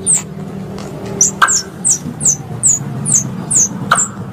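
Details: Squirrel lure calls used for hunting, part of a three-in-one sound: evenly spaced, high, falling chirps repeated roughly every half second, two loud sharp clicks, and a buzzing low hum beneath.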